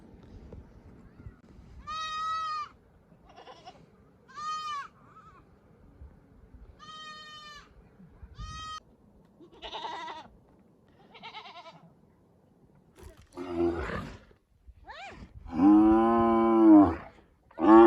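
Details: Sheep or lambs giving a series of short, quavering bleats, some thin and high, others broader, coming irregularly about once a second and ending in a louder, drawn-out bleat.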